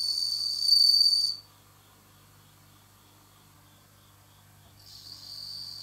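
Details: A captive bell cricket, recorded in autumn, gives a high, clear ringing trill, stops for a few seconds, then starts again.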